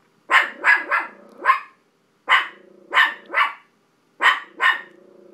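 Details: A dog named Billie Holiday reacts to dogs seen on television, letting out three clusters of loud, harsh barks, two to four barks each, separated by short pauses and trailed by a low humming tone.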